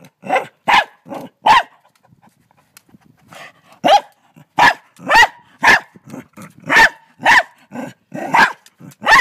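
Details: Frightened dog in Australia, trying to bite a huge mantis, gives a run of about fourteen sharp barks. They come in short bursts, roughly two per second, with brief quiet gaps between them.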